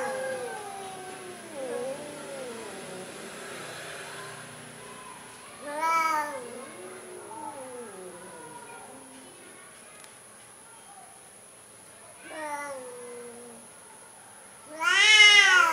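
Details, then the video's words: Timid orange cat making soft wavering mews, quieter and mixed with babble-like sounds, then a few brief meows and one loud meow at the very end; steady high whine present. "Coward Orange Cat Compilation | KUCING ORANGE PENAKUT"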